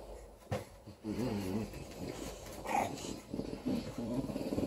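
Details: Female English Bulldog puppy, four weeks old, growling while playing with a teddy bear: short rough low growls in bursts, with light scuffling and handling sounds between them.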